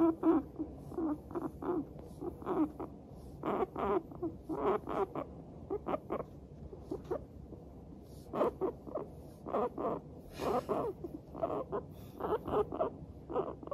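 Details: Several pet guinea pigs, Teddy and Abyssinian, in a good mood while walking and giving their 'pu-pu-pu' chatter: short puttering bursts repeated in quick runs with brief pauses, throughout the clip, in a quiet room.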